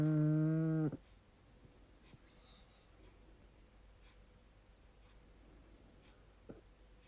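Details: Rupert Eli, a pug, snoring while asleep with his eyes open: one loud, low, droning, harmonic snore lasting about a second, followed by quiet breathing and a faint click in a still room.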